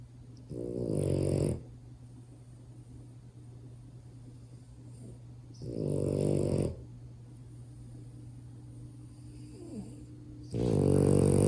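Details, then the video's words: Sleeping French Bulldog puppy, kept as a pet, snoring loudly; three deep, rumbling, harmonic snores about every five seconds, each lasting roughly a second, with quiet breathing and low steady hum in between. "Cutest French bulldog puppy snores so loud!"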